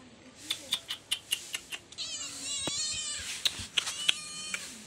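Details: Kitten playing with a black goat, domestic animals kept at a hut; one rising then falling harmonic meow lasting about a second, surrounded by a steady run of sharp clicking taps.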